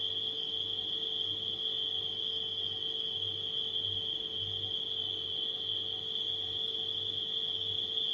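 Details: Night crickets give a seamless, piercing trill with no gaps, accompanied by the persistent low hum of a refrigerator that swells and fades slightly.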